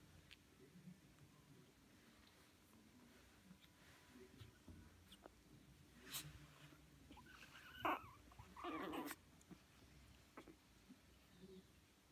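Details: Three Chihuahua puppies at a breeder in the Drôme, France, give two brief, high, thin whimpers in a quiet room.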